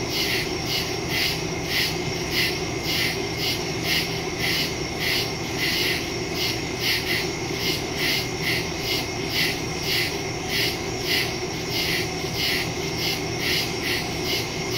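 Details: Woodland crickets at night, recorded September 2, 2023 via Samsung Galaxy S22 Ultra phone and Shure MV88+ stereo microphone: fast, slightly uneven trains of high buzzy pulses continuing throughout, with a persistent piercing insect whine and soft low background rumble.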